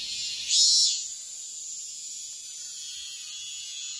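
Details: At dawn in high summer, a cicada gives one short rasping burst, then a continuous shrill, high whine holds steady.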